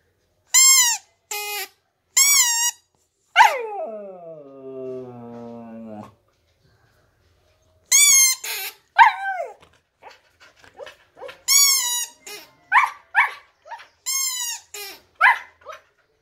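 A Siberian husky howls and yodels in short, rising and falling wails, with one long sliding howl.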